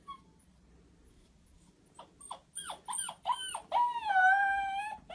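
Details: Corgi dog whining and howling: a run of short rising squeaky whimpers builds into a long wavering high howl-whine, with a man speaking Russian to it softly.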